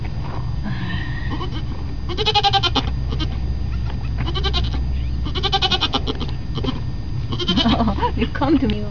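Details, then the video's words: Newborn goat kids giving repeated short, nasal, trembling bleats in separate bursts about a second or two apart. People talk nearby over a constant low hum. "baby goats"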